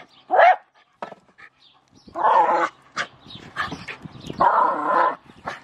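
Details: Jack Russell Terrier with a shovel: a short sharp bark, then longer, harsher drawn-out barks mixed with softer yelps and huffs, irregularly spaced.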